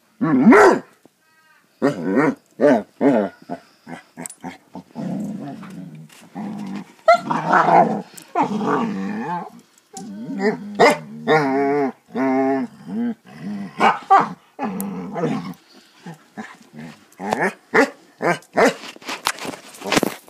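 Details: Basset Hounds at play: bursts of barking mixed with rolling, wavering growls and whiny grumbles, loud and irregular over twenty seconds, ending with a rapid string of short clipped barks.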